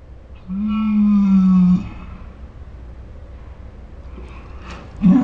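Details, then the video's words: Ours, a pet Saint Bernard dog heard 'talking', gives one long, steady, low moaning groan lasting about a second and a half, strongly harmonic, then quiet room noise and a brief rough grunt at the end. "My Saint Bernard makes dinosaur sounds"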